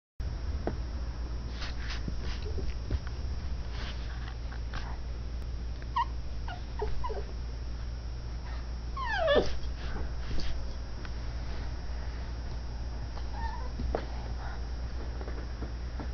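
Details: Female dachshund puppy demanding cuddling instead of sleeping in her own bed; scattered soft whines and snuffles with one louder rising-falling whimper near the middle, over a steady low hum and breathing.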